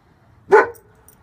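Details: One sharp, loud bark from a male German Shepherd guarding despite a bandage on his back leg.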